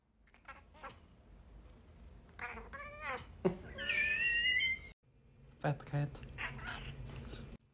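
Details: House cat from a funny cat reaction compilation: a run of stacked harmonic calls building into a long, rising then falling meow around the middle, followed after a cut by clicks, knocks and faint voices.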